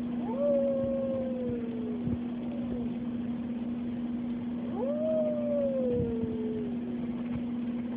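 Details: Oliver the dog sings during the weekly tornado siren test at Oliver's Dog Daycare and Boarding. Two long howls start with a quick upward sweep and then fall slowly, each lasting about two seconds, over the unbroken siren drone.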